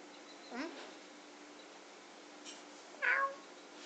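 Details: Cat playing with a grasshopper indoors, giving two short meows: a rising-falling mew near the start and a brighter, higher meow about two and a half seconds later, over steady low room hum.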